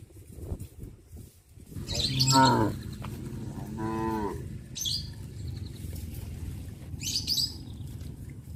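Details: Cows of a village herd walking in procession along a country road toward pasture in the morning; one short harmonic moo among low rumbling movement noise, with faint high bird chirps.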